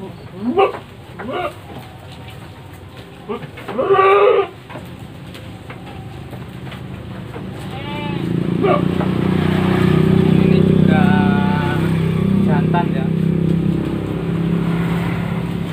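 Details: Male goats raised for Qurban on a farm in Nglebeng village, Konang, Panggul, Trenggalek, housed 17 to a pen: four loud, quavering bleats within the first four seconds, then a steady low droning hum with faint voices.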